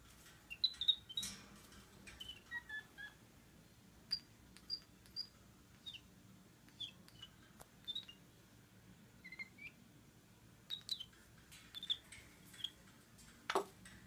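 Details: Flynn, an 11-week-old capuchin monkey, protesting during a few seconds in his cage, gives a series of short high chirps and squeaks at irregular intervals, with clicks and handling noises between them.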